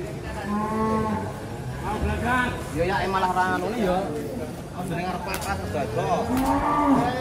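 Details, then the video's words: Cattle, a group of agitated cows coming down off a truck, with several overlapping low moos rising and falling across the clip, amid a steady background murmur and faint voices. "KUMPULAN SAPI NGAMUK TURUN DARI TRUK HARI INI"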